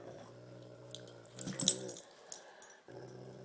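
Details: Two dogs, a Great Pyrenees named Thumper and a Tibetan Mastiff named Baby Huey, playing tug of war. A steady, deep, rumbling growl runs beneath a brief noisy scuffle, then resumes.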